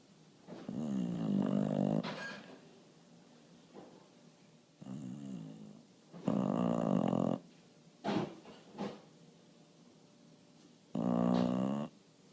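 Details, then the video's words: Bulldog snoring while asleep indoors, tired after barking at a bird in the window; deep rattling snores, each about a second long, coming in slow breaths with quiet gaps and a few soft snorts. "Sneaking Up On A Snoring Bulldog"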